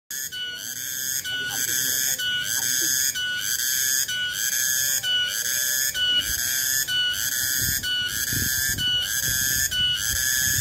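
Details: Cicada, locally called tonggeret, recorded 21 August 2020: a loud, tonal, ringing drone with bright overtones, broken into pulses about once a second and running without pause, with faint low background murmurs.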